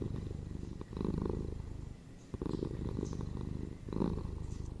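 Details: Domestic cat giving a low, throbbing purr at home, three to four breath-long phrases with brief dips in between, the rumble growing louder at each fresh inhale.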